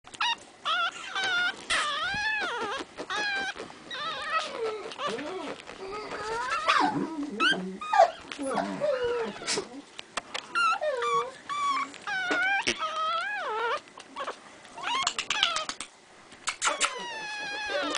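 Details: Male Pekingese puppy, three and a half weeks old, in a kennel, whining almost without pause: high, wavering squeals and whimpers that rise and fall, in dense bursts over eighteen seconds with brief gaps.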